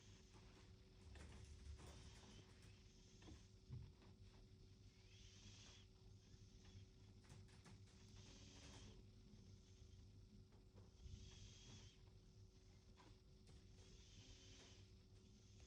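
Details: A sleeping cat snores softly, each breathy, hissing snore rising and fading roughly every three seconds, with a steady low indoor hum underneath.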